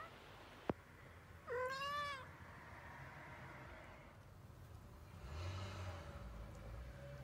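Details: Three-week-old kittens; one clear thin, wavering mew with a rising-then-falling pitch about 1.5 seconds in, a fainter drawn-out mew near 5.5 seconds, a sharp click at the start, and low steady background hum.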